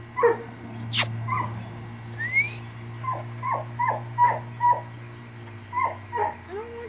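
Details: Airedale Terrier puppies playing with a child indoors: a busy run of short, sharp, downward-sliding yelps and whimpers, one rising squeal, about a dozen quick yips repeated irregularly, over a steady low electrical hum.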